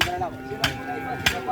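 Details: Cattle from a bull race team on Sapudi Island, Madura, Indonesia: a steady low moo with harmonic bands, broken by sharp knocks near the middle and end, with people talking nearby.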